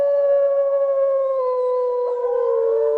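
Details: A grey wolf (Canis lupus) gives a long, smooth, mid-pitched howl that holds steady and sags slightly, with a second voice briefly rising in near the end.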